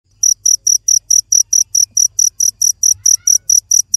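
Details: A cricket chirping steadily, short high-pitched bursts repeated about four times a second with even spacing, a faint low hum underneath and no other animals audible.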